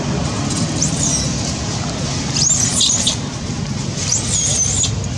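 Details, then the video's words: Janet, a monkey, screaming loudly because she needs food: thin, high squealing screams in three short bursts, near one second, around two and a half to three seconds and near four and a half seconds, over a constant low rumbling background noise. "Janet screaming loudly cos need food"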